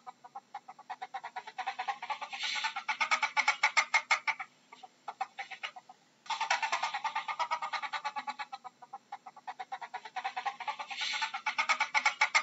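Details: Ferret (Mustela furo) chuckling call: rapid, soft clucking chuckles in bursts lasting several seconds.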